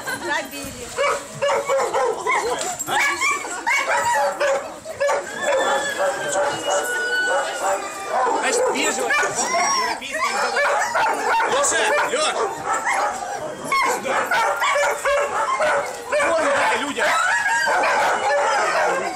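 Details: A crowd of kennel-kept Siberian Huskies, recorded on a bus excursion on 25 November 2012, keeps up nonstop overlapping yipping, whining and drawn-out howl-like tones, mixed with the chatter of visitors.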